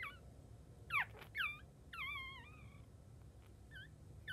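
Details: Chihuahua puppy, newborn and just after birth, cries in high-pitched squeaky whines: quick sharp yelps followed by a longer wavering wail, then brief fading squeaks, irregular and repeated, with a low hum underneath.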